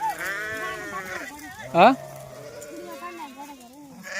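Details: Goat bleating while being taken out to graze as part of a shepherd's herding life: a wavering, nasal bleat for about a second, then a sharp bang and a man talking over further animal sounds.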